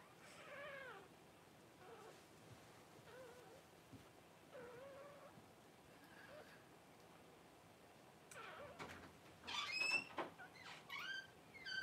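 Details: Cavalier King Charles Spaniel mother Paris whelping her first puppies at home on January 1. Short, bending, high-pitched whimpers repeat every second or so, then turn into a louder, sharper burst of squeaky cries near the end.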